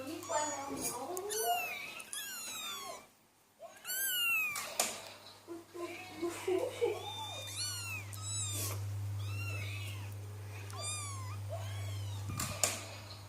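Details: Persian cat calling for its mother: many short, high, harmonic meows, often rising then falling, repeated rapidly, with a brief silent gap near three seconds and a steady low hum in the background.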